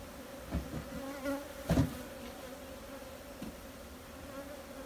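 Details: Honey bee buzz holding one steady low pitch with a fainter higher overtone, interrupted early by a cluster of knocks and clatter before settling back to the even drone.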